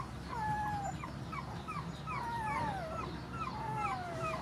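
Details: Whimpering from rescued puppies and mother dogs at feeding: long, wavering high whines sliding downward, overlapping from more than one animal, above a constant low rumble.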